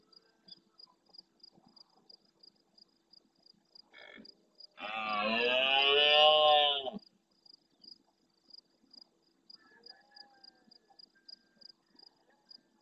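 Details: Large red deer stag roaring hard at nightfall near a camera in the Doñana National Park marsh at El Rocío, Almonte, Huelva, Spain, answering farther roars. One loud, harsh, harmonic roar lasts about two seconds amid steady, rapid insect ticking.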